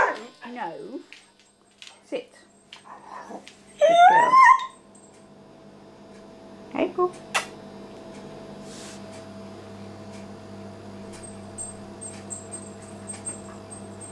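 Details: Indoors with Maggie the cat, female Vizsla puppy April lets out one rising, high whine after a few scattered yips and spoken words, then a long near-quiet stretch with a steady electrical hum.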